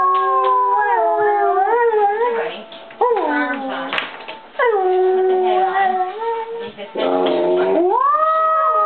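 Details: Dog howl made of wavering, sliding tones that swoop up and down and break into short gaps, ending in a strong rising glide held to the end.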